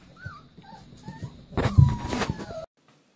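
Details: Leonberger puppies at play: thin, high whines curving up and down through the first second, then a louder, noisy scuffle with one sustained whine, which stops abruptly.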